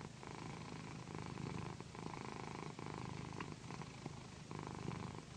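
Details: Deep, loud purring from a female house cat called Pandy as she is massaged with a satin pillow, an unbroken buzzing rumble pulsing gently with her breathing.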